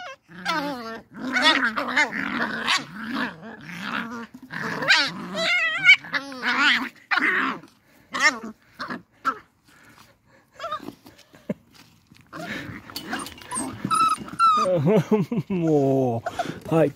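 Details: Beagle puppies playing outside in their enclosure, trading a dense stream of rough growls, grunts and short yips during play, with a brief lull midway, then more wavering whiny growls.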